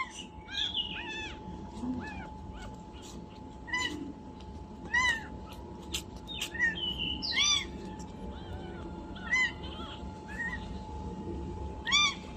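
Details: Newborn domestic kitten, two days old, repeatedly mewing in thin, piercing, bent cries at uneven gaps over twelve seconds, mixed with clicks and rustles.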